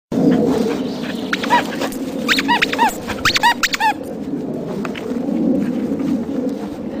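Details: A cream Chow Chow, a rescued shelter dog, gives a quick run of short, high, ringing barks over a steady background hum.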